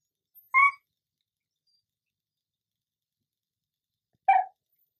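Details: Female pet dog pleading for chips: two brief, nasal whimpers about four seconds apart, with silence between them.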